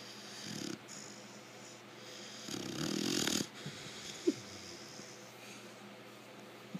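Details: Lecka, a sleeping five-month-old female American Bulldog, snores like an old man: wheezy, rasping breaths, one long loud snort in the middle, and small clicks and sniffs between softer breaths.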